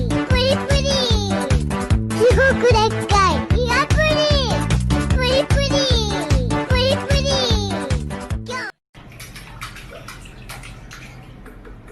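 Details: Upbeat children's music with a child's voice plays steadily, then cuts to splashing water in a small room; no animal voice is present.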